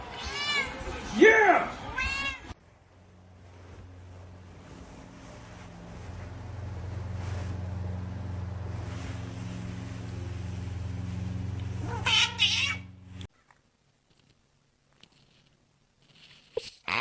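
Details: House cat lets out two loud, wavering meows in quick succession, strongly harmonic and bending up then down, before a steady low electrical hum takes over, then another short cry and quiet voices.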